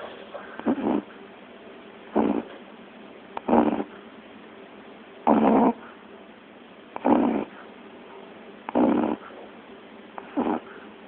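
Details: Snoring from a dozing puppy: seven harsh, breathy snorts over eleven seconds, loosely spaced every one and a half to two seconds, some slightly longer and louder, over soft room hiss.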